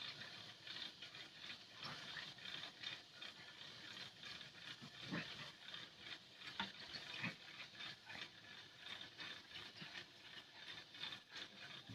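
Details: Quiet hissing and pattering noise with faint rustles and clicks, no animal voice heard.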